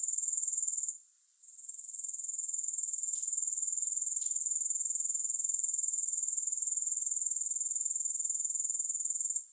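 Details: High, sizzling grasshopper trill, pulsing regularly about four times a second, with a short drop in volume near the first second and a few faint soft ticks midway, no music.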